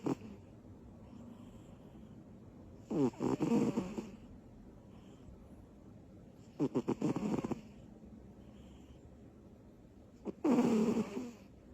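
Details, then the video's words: Butters the cat, a small female asleep after bursts of energy, snores with three loud, buzzing, fluttery breaths about three and a half seconds apart in a quiet room. "Little cat. Big snores."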